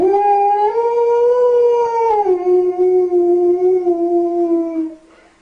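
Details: A pet dog sings to a baby to stop its crying: one long continuous howl that rises slightly, holds, drops to a lower steady pitch after two seconds and fades out near five seconds.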